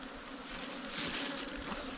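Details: Wild ground bees, small cavity-nesting bees that nest in holes under the ground or in termite mounds, during a honey harvest in Thailand; a steady low droning hum of many wings under hissy, rustling background noise.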